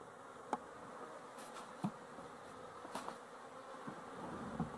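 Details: Honey bees dated 12-11-23: a steady, dense buzzing hum of many wings with brief sharp taps or clicks scattered through it.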